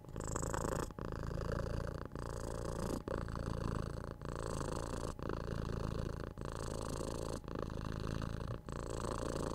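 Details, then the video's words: House cat purring steadily close to the listener, a deep throbbing rumble rising and falling with each breath, phrases about one second long with short breaks, rhythmic and even throughout. "Cute Cat Purring"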